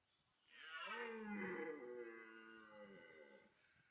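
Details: Red deer stag in autumn rut at Parc Sainte-Croix wildlife park in France, amid pursuit, mating and fighting between stags; the bellow draws females. One long harmonic roar of about three seconds, rising then slowly falling and fading.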